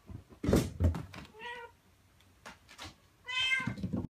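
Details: Mother cat, a rescued female, calling her kittens to stay close and come with her, moving between a room and outside; two harmonic meows near 1.5 and 3.5 seconds, the second longer and rising, with knocks and handling noises.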